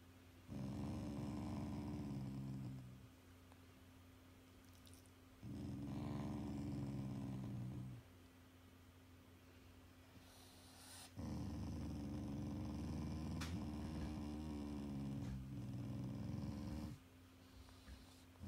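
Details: Shiba Inu growling at its owners as an affectionate expression, not from anger; three long, low rumbling growls of about two to three seconds each, separated by quiet pauses, in an indoor room.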